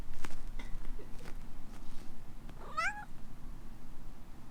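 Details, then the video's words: ['After faint tapping sounds, Alana, a young female rescue cat in Hawaii reacting to a sneeze, lets out a single short, wavering meow near the end.'] "My Cat reacts to my sneeze. くしゃみに反応する子猫"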